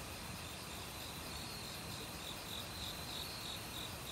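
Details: Autumn crickets calling in a forest alongside other insects; short high chirps repeat about three times a second over a thick, even insect drone and the rush of a nearby stream.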